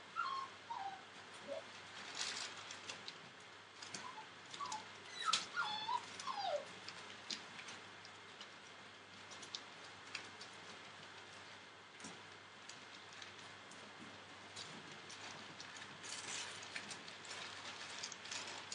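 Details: Entlebucher Mountain Dog puppies, 41 days old, from a litter born 28 December 2013, give thin, high whimpers that slide downward in short bursts near the start and again from five to seven seconds, with scratchy rustling and taps between.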